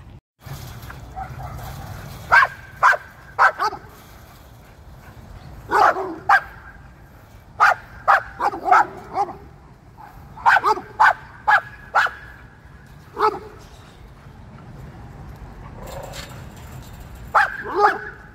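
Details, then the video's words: Dog chasing squirrels outdoors, giving sharp barks and yips in irregular bursts, some quick doubles and triples, with a low steady hum beneath and a person calling to the dog beforehand. "Chasing Squirrels"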